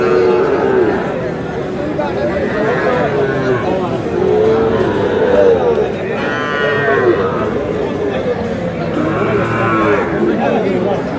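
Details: Sahiwal bull calves for sale at a busy cattle market in Kurigram, Bangladesh, on 3 March 2026. Several drawn-out, harmonic moos rise and fall across the stretch, set against steady crowd chatter and men bargaining nearby.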